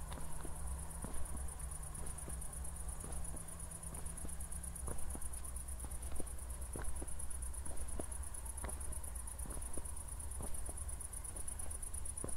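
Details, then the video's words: Night chorus of crickets near Zwettl, Austria, just after a thunderstorm: continuous high beaded trill over regular footsteps, a faint low hum during the first five seconds. "ASMR Cricket Sounds"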